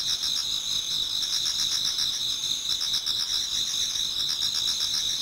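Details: Autumn insects chorusing in a Japanese garden as dawn approaches, several high continuous trills stacked together, one band pulsing rapidly while others hold steady, no pauses.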